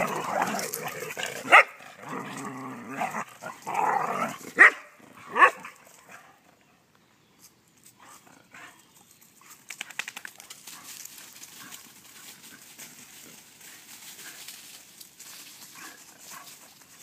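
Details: Three Vizslas together after swimming bark and whine loudly for about six seconds, with sharp barks standing out. Quieter rustling and shuffling sounds follow.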